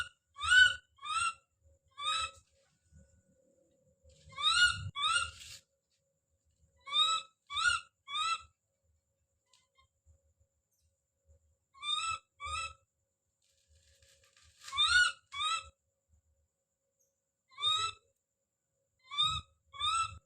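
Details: Baby monkey named Don calling out: short, rising, harmonic-rich cries in clusters of two or three, about fourteen in twenty seconds, with soft low thumps between them.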